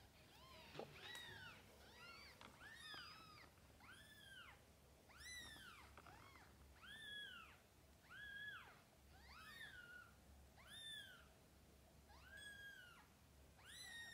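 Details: Domestic cats, a mother cat with her kittens, giving a steady run of high, arched mews, each rising then falling, repeated roughly every second to two seconds with overlapping voices and a faint low hum underneath.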